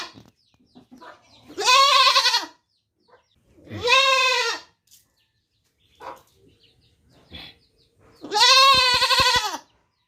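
A young goat gives three loud, nasal bleats, each about a second long, a couple of seconds apart.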